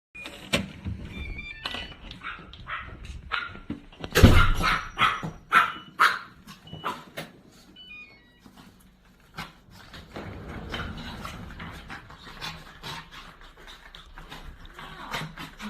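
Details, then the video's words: Two pet dogs, Keurim and Noeul, greet an aunt indoors after a week apart. Short yelping bursts peak in a loud bark-like cry near the middle, with thin squeaky whines after it, over rustling, thumps and faint background music. "일주일만에 본이모가 너무반가운 댕댕이들♡♡"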